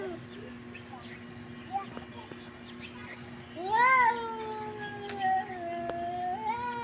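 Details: Domestic cat meowing: a clear rising-then-falling meow near the middle, followed by a long drawn-out wavering call, over a steady low electrical hum and faint background noise.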